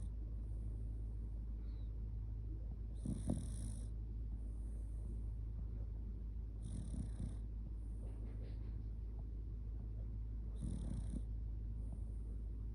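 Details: Kotetsu, a Shiba Inu, sleeping cuddled up close and just sleepy, snores loudly: three rasping breaths roughly every four seconds, each a rough low rumble with hissy upper tones, over a steady low hum.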